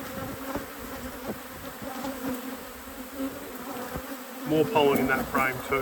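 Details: Open hive in an apiary during inspection: honey bees hum continuously in a low, even tone, then a person starts talking over the buzz near the end.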